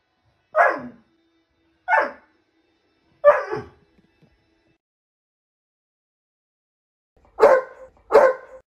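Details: An Alaskan Malamute gives short, falling, howl-like yowls in separate bursts while a cat is on the roof.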